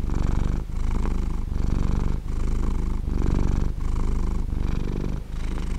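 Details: Cat purring in a smooth, rhythmic low rumble, each inhale and exhale forming a pulse about three-quarters of a second long, separated by tiny breaks.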